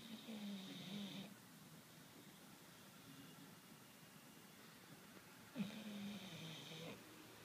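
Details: A female English bulldog snores in rough, rumbling bursts with a long quiet pause between breaths.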